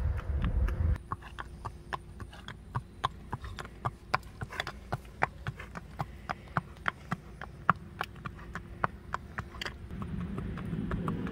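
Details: Joy, a gentle 14-15 year old black roan sabino Tennessee Walking Horse mare standing 15 hands, out on a trail ride: quick, sharp hoof clops about three or four per second in an uneven gait, with a low rumble before and after.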